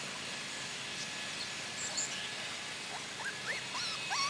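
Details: Cardigan Welsh Corgi puppies, four weeks old, on their first outing with their mother in Sweden. Soft rising squeals and short upward-sliding whimpers cluster toward the end over a steady hiss, with faint high chirps.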